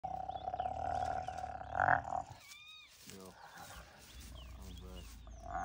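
A hyena gives a sustained, high whining squeal, a submissive sound toward a larger female.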